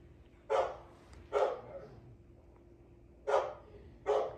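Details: Repeated barking from Navi, a patient pet dog: four short, loud barks, the first two close together, then a pause of nearly two seconds before two more.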